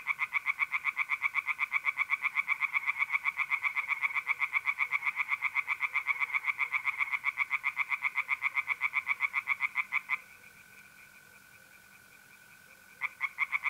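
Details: Night chorus of tree frogs in an Italian pond in April: steady, rapidly repeated rasping croaks for about ten seconds, then a pause filled by the even trill of mole crickets before the calling resumes.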